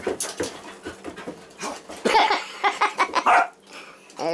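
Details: A labradoodle named Molly and a rescued six-year-old basset hound named Casey fight indoors. Rough, rapid growls build into a run of sharp, loud barking yelps, then pause briefly before another growl at the end.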